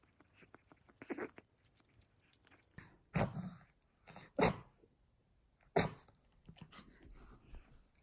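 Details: Black-and-tan Pomeranian dog eating sweet potato, recorded close up in ASMR style indoors; short breathy nasal snorts, the loudest bursts near three, four and a half and six seconds, between soft chewing and licking clicks.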